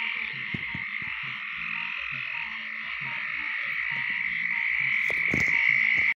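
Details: Mating chorus of green tree frogs, the state amphibian of Georgia, forming an unbroken buzzing drone that swells slightly louder toward the end before stopping suddenly, with soft low thumps in the background.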